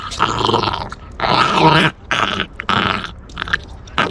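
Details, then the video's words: Puppy guarding its bone and refusing to let it be taken, giving threatening growls in several rough bursts separated by short pauses, with chewing-like noises between them. "Puppy making threatening noises"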